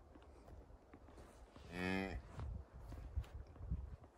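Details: Highland cattle in a Finnish forest as a one-day-old calf follows its mother cow, 29 October 2022, iPhone 11: one brief, fairly faint harmonic moo of about half a second, masked by rustling and thumping ground noise.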